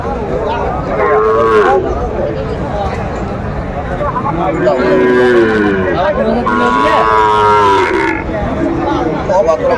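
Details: Sahiwal bull calves at a cattle market in Faridpur, Bangladesh, recorded on 5 January 2025; several drawn-out moos with rising and falling tones over steady crowd chatter and men's voices bargaining.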